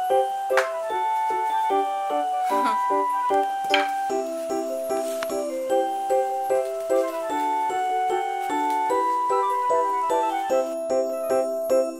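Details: A gentle music-box or glockenspiel melody of ringing mallet notes plays steadily indoors, with no animal sound.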